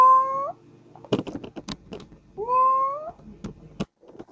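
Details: Baby cat giving two rising, sustained mews, with soft tapping and clicking noises between the calls.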